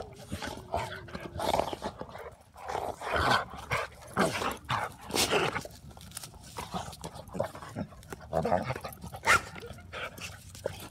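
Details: Pet dog making repeated short vocal bursts, barks mixed with whines, spaced irregularly over about ten seconds, while people chat in the background.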